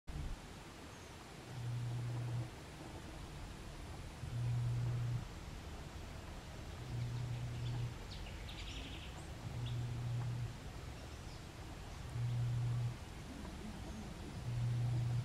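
A mantled howler monkey gives deep, low, droning howls in short bursts every two to three seconds.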